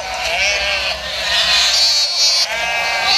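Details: White sheep giving a long, quavering bleat that rises and falls over about three seconds, with strong harmonics over a bright, hissy background.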